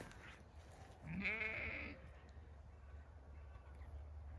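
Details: Zwartbles sheep on a regenerative farm in County Kilkenny, Ireland, in autumn after recent rain, one wavering bleat of about a second with faint rumbling background noise.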